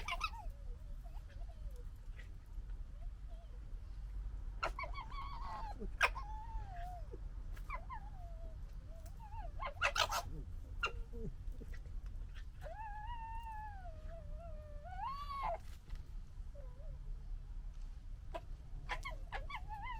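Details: Red foxes from the 2021 litter gekkering and fighting: wavering, whining squeals with rich harmonics rise and fall in bursts, broken by sharp clattering clicks and scuffles, over a low steady rumble.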